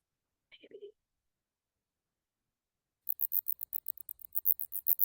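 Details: A female big brown bat being handled for processing gives rapid, very high-pitched squeaks after a brief spoken word. These are stress distress calls, not echolocation.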